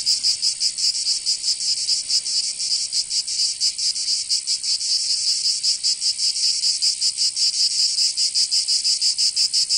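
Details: Cicadas in Provence, southern France, during summer: shrill continuous buzzing with a looser, less even pulsing, swelling slightly in loudness partway through, no other animals or voices.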